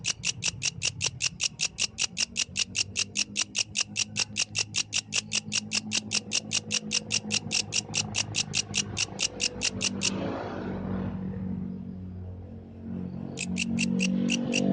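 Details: Night song of a yellow grasshopper: rapid, evenly spaced high chirping pulses for about ten seconds, then a break filled with rustling and low noise before the pulses briefly resume.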